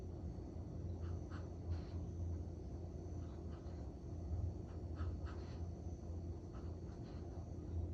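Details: Tired Collie snoring after three hours of walking and training in a park; a low rumbling drone pulses in slow breath-like surges roughly every second, with a few soft higher ticks above.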